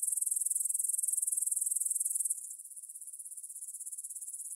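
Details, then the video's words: Evening chorus of grasshoppers at 9pm, 6 September 2020, by the Svensky monastery field, Bryansk, Russia, Tascam DR-44WL stereo: high, rapidly pulsing chirr that starts loud, drops in volume around two seconds in, then continues softer but still pulsed. "Звук для сна: кузнечики на лугу – Grasshopper Sounds in the Field for a Quick Sleep"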